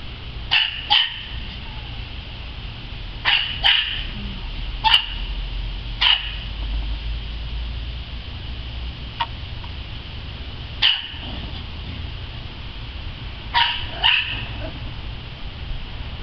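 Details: Dog playing in a yard, giving short, sharp barks in irregular bursts, often doubled, about ten over sixteen seconds with quiet gaps between, over a steady low background hum.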